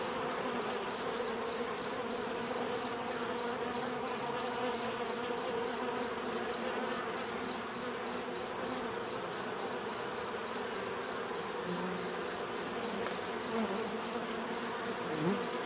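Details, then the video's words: Bees buzzing naturally as a continuous droning swarm sound, a few individual insects swooping louder near the end, high thin whine steady on top. "bees therapy relaxing natural buzzing sound"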